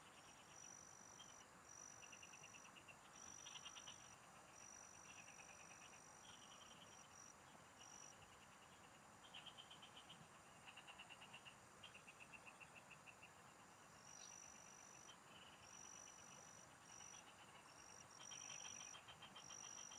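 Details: A chorus of field frogs heard during fishing, many overlapping rattling pulse trains repeating almost continuously, alongside drawn-out high insect-like tones and a low constant hiss.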